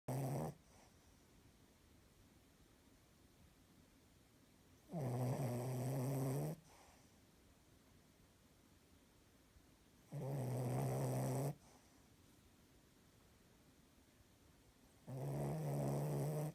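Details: A 7-month-old female Cavalier King Charles Spaniel, unsettled by the clock change, snores in low, rasping bursts about every five seconds.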